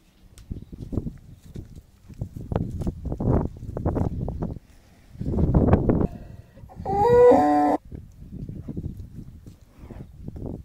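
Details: Bulls being fattened for sale; a loud harmonic moo near seven seconds stands out over a steady run of low rumbling, shuffling and knocking barn noise.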